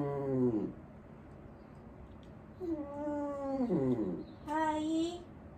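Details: Elderly dog Wanta in Kumiko Oba's care gives three plaintive moans in a small room: a short falling cry, then a long steady wail ending in a drop, then a brief higher cry.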